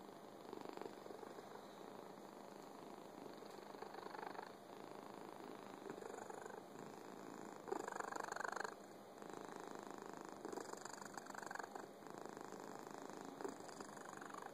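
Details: Fuzzy pet cat purring: a steady, soft, rumbling purr continues throughout with rhythmic pulses, broken by a few brief louder noisy patches, in a quiet setting.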